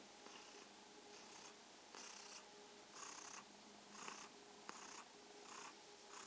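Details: ['Mausi the kitten purrs contentedly in the evening. Airy, buzzing purr cycles pulse roughly once a second, some stronger than others, with a couple of tiny clicks and a quiet steady hum throughout.']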